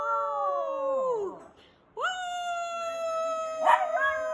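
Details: A Shih Tzu howls in long held notes, the first sliding downward and fading, followed by a pause and a rising onset into a steady prolonged tone with a brief rough crack near the end.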